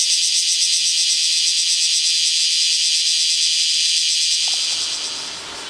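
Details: Bear cicadas in Kyoto, noisy from early morning but quiet on rainy days, starting up again the moment the rain stops: a loud, dense, steady high-pitched shrill buzz that fades slightly in the final second.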